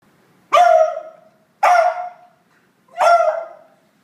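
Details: Female dog barking indignantly after another dog takes her favourite toy: three loud, harsh barks, each sharp at onset and trailing off, spaced about a second apart in a quiet room.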